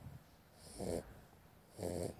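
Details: A sleeping puppy, the runt of the litter, snoring: two snorting, rasping breaths about a second apart, each with a low rough rumble, separated by quiet.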